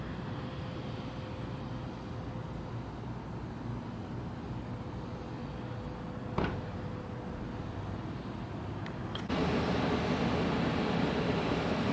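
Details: A steady low engine-like rumble runs throughout with a thin constant tone and a few sharp clicks, growing louder and noisier after about nine seconds; no animal voice is heard.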